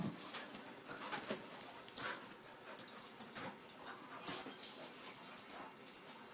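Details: Two puppies from one litter, white Roo and black Cupid, found together in a cooler at Christmas, play-fighting indoors; quick breathy snuffles, pants and scuffling bursts follow one another irregularly, with no clear barks.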